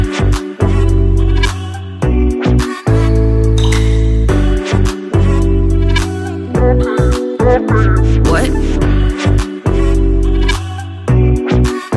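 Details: Loud hip hop style music with heavy bass and a steady beat plays throughout, no animal sound heard.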